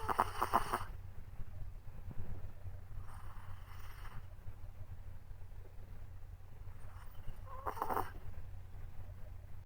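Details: A tired Chihuahua puppy sleeping soundly after its walk makes a continuous low snoring rumble, broken by brief louder snorts at the start, around three and a half seconds and near eight seconds.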